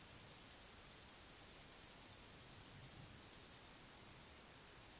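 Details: A singing male red-legged grasshopper, Chorthippus binotatus, recorded 11 August 2020 at L'Escalette, makes a quick run of dry, high-pitched rasping pulses, about seven each second. It breaks off after a few seconds, leaving faint background hiss.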